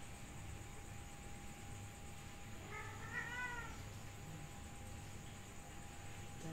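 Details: Domestic cats during mating season, one female courted by three males: a single short meow near the middle, its harmonic stack rising then falling, set against a steady electrical hum and faint background noise.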